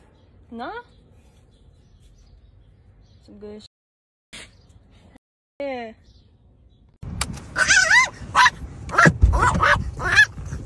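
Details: Dog giving a few short, high rising whines separated by silences, followed by a busier stretch of sharp yips and barks mixed with human voices.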